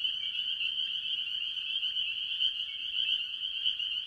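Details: Early-year chorus of spring peepers and other tree frogs from a farm pond, a thick, steady high-pitched trilling mass of peeps, with a few slightly lower individual notes standing out briefly.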